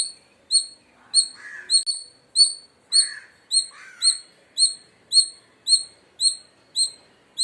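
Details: Indian palm squirrel chirping loudly. A steady run of thin, high, falling chip notes, about two per second, continues throughout. Brief lower scratchy sounds appear between some calls.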